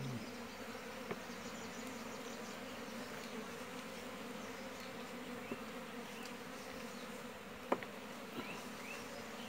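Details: Honey bees at a wild hive in a natural tree cavity, disturbed while their honey is harvested: a steady low droning hum that runs unbroken throughout, with a few sharp clicks and taps over it.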